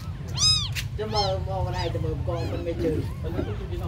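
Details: Tiny abandoned kittens mewing: a loud, high, arched meow near the start, then several softer rising-falling mews, with a human voice partly overlapping and a steady low hum beneath.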